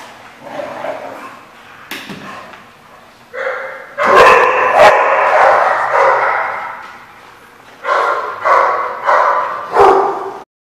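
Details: Dog barking recorded 14 August 2015: repeated rough barks building into a loud, sustained volley in the middle, then three or four separate sharp barks spaced about a second apart before abruptly stopping.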